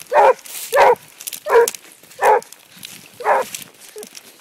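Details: Basset Hound on the track, barking in a steady run of five loud, rough, harmonic barks roughly every three quarters of a second, then falling quiet apart from soft background noise.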